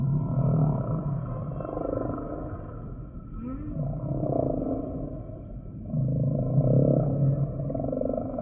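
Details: Humpback whale song sample: low, throaty harmonic moans pulsing in long swells, with a brief rising sweep near the middle and hazy overtones above, loud bursts returning about every three seconds.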